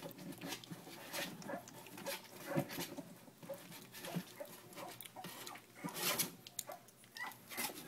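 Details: A litter of Jack x Puzzle pups, three weeks old, whines and squeals in brief high bursts over constant scrabbling and bedding rustle.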